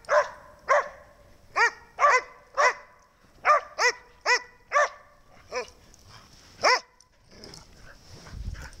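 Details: Snow, a pet dog, barks repeatedly: crisp harmonic barks spaced about half a second apart, slowing to a few lone barks before fading into faint rustling and handling noise.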